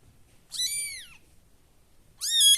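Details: A kitten, one of a litter of five, calls while searching for its siblings: two high, clear, harmonic-rich meows, the first arching up then falling over about half a second, the second starting after a short quiet pause and rising.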